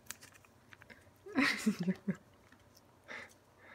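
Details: Indoor Ragdoll cat, one of a pair aged two years eight months and two years four months, eagerly eating Ciao Churu treats; a quick burst of short, low, voiced murmuring grunts, followed by soft licking and eating noises and one brief later murmur.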